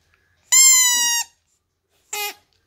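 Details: Husky giving one steady, level-pitched harmonic howl lasting under a second, then a short quieter yelp, clear against silence indoors.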